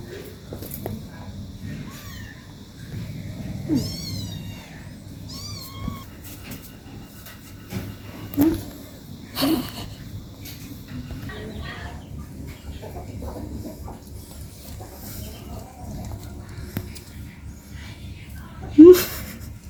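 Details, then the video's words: An 18-day-old kitten playing with its mother at home; several high, wavering meows cluster near the fourth second, followed by scattered soft knocks and rustles over a steady low hum. "cat meowing sounds"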